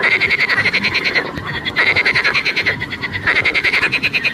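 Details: Frogs croaking in a dense, continuous chorus of rapid pulsed rattles, a bright buzzy tone running steadily throughout with brief dips in loudness.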